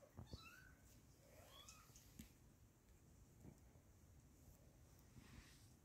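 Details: Little kittens indoors giving a few thin, high meows near the start, one drawn-out rising mew around one and a half seconds, then quieter mews over a constant low hum.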